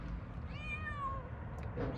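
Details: Niço the cat meowing once, a clear drawn-out meow that rises then falls, lasting under a second, against low background rumble as a person talks to it.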